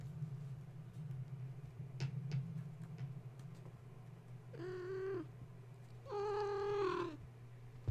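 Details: Gaia's kittens, woken at bedtime when a space heater was plugged in and now wound up and climbing, give two drawn-out harmonic meows, the second longer and louder, after a few sharp knocks over a steady low electrical hum.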